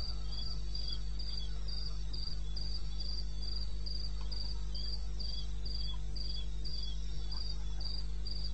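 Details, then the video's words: Wild cricket in eastern Botswana, 2:30 AM on 21 May 2016, producing crisp high chirps in a steady rhythm near three and a half per second, a weaker second voice slightly lower, over a constant deep hum. "1 Hour cricket sound-Africa-No loop-Real recording. Not edited."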